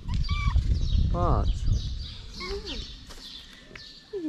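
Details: Hungry pregnant calico stray cat on a Moroccan street, being fed; one short harmonic meow rising then falling, with a briefer drooping call after, over a woman's talking voice and high chirping birds in the background.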